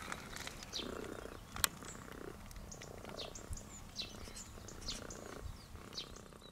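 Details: A friendly cat in Sardinia, named Tutti Frutti for its patterned coat, kept visiting holidaymakers for attention. It purrs in soft, low rhythmic pulses about every second. Bright bird chirps sound above, with outdoor background noise.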